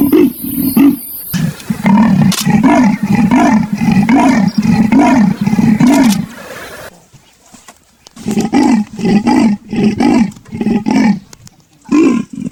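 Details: Rasping leopard call: a long series of coarse grunts repeated roughly every half second, a quieter lull, then another run of harsh strokes.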